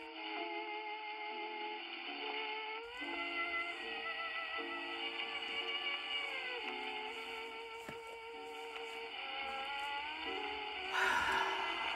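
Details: Steady music with sustained tones and a sudden louder burst near the end, with no animal sound.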